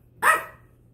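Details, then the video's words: A 10-week-old French Bulldog puppy, playing indoors in a new home and discovering his voice, lets out a single short, sharp, yappy bark that fades quickly. Quiet low hum otherwise. "French Bulldog Puppy vs. Nothing in particular - puppy is discovering his voice!"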